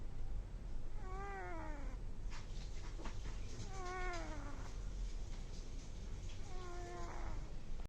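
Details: ['A sleeping kitten, said to be snoring, gives three clear squeaky notes that fall in pitch, each under a second long and roughly three seconds apart. Faint rustling is heard between them over a low steady hum.']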